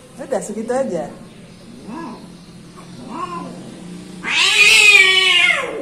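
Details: Timid orange domestic cats; short wavering meows spaced about a second apart, followed by a long loud drawn-out yowl, with a voice in the background.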